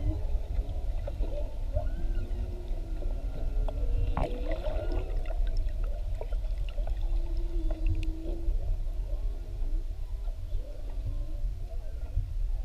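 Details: Whales heard underwater off Maui during whale watching, recorded up close with a GoPro; drawn-out moaning and whistling tones sweep up and down, overlapping one another, over a heavy low rumble of water and boat noise.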